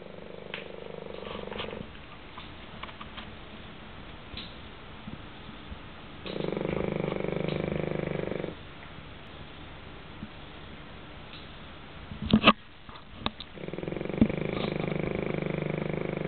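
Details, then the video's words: Pekingese dog asleep, snoring in long rasping breaths of about two seconds each, separated by quieter pauses, with a few faint clicks between breaths. "Snoring Beauty"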